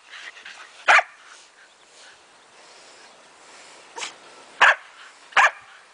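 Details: Shetland Sheepdogs at play chasing a ball: one loud, harsh bark, then a pause, then three more spaced barks near the end, with faint background murmur.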